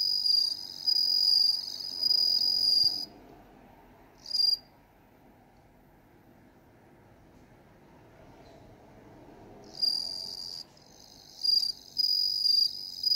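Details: High, metallic ringing trills of Meloimorpha japonica (bell cricket) come in phrases separated by pauses, one short chirp, a long gap, then several clipped bursts; soft low background hum throughout.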